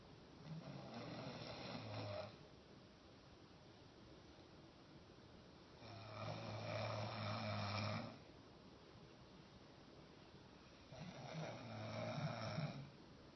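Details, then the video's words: Roscoe the dog snoring while asleep standing up indoors: three long, rough, low rumbling snores about two seconds each, spaced roughly five seconds apart with quiet breathing gaps between. "Roscoe snoring standing up"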